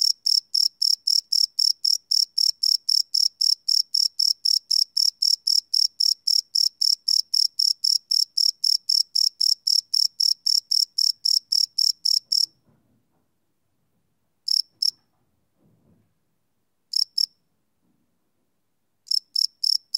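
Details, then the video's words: Crickets chirping at night, recorded live with a Sony PCM D100 field recorder: high, pulsed chirps repeated about four times a second for twelve seconds, then silence broken by a few short bursts. "Cricket Chirp Sound - Cricket Sounds at Night"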